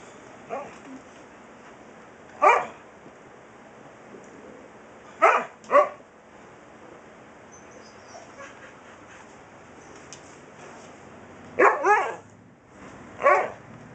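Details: Husky puppy talking back to its dad with sharp, high yips and barks, single or in pairs, spaced several seconds apart over a low steady background hum.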